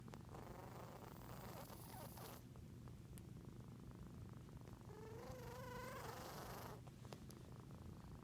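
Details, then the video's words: Sniffling cat: steady low purr-like rumble throughout, broken by two long breathy hissing bursts, the second carrying a squeaky whistled tone that wavers up and down, plus a couple of sharp clicks. "Cat sniffles"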